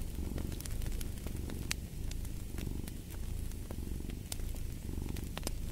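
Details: Continuous low purr of a house cat, rhythmic rumbling rising and falling in gentle cycles, overlaid by frequent snapping and crackling from a fire in a fireplace.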